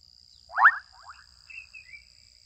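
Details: In a Kenyan wetland, an adolescent frog gives one abrupt rasping croak that breaks into a short rattle, followed by faint higher chirps from insects against a steady high hum.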